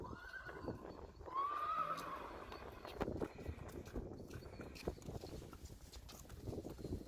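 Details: Friesian horse during weaning, giving a short whinny that rises and wavers near the start. Hoof knocks and stable clatter continue after it.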